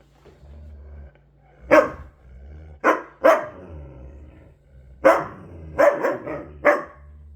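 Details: Siberian huskies playing indoors, giving several loud, gruff, broadband barks in separated bursts, some paired in quick doubles, between quieter growling and a low steady hum.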